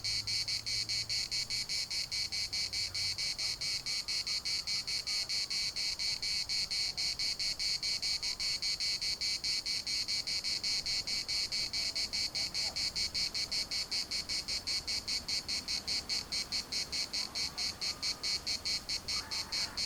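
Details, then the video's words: Larnaca municipal park cicadas, Cyprus, keeping up a shrill pulsing buzz, quickening pulses repeating steadily throughout, with faint lower sounds and a soft low hum at the start underneath. "CICADAS at the municipal Park Larnaca"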